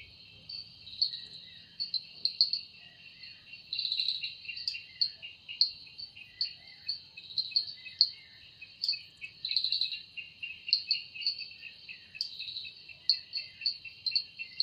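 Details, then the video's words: Cicada singing in a forest in the evening, its wings said to make the sound: a continuous high, shrill buzzing drone with louder pulsing swells every second or so, and a steady lower whine beneath. "Woundering voice of Cicada"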